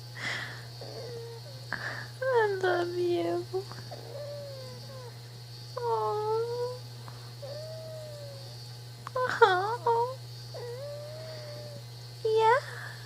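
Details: Zoey, a pet female prairie dog, gives tired little sounds: a string of soft whimpering squeaks and bent, wavering whines, roughly every few seconds across thirteen seconds, with a constant low hum in the room.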